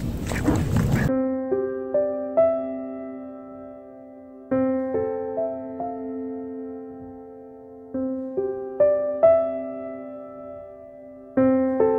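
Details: Gentle electric piano melody with sustained, repeated chords, opened by a brief burst of noisy sound; no animal voice is present.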